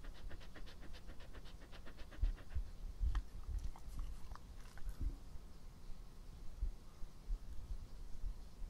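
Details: Epo, a pet dog, recorded close up for ASMR: quick, quiet panting breaths with wet mouth clicks and small smacks scattered through, soft low rumble underneath.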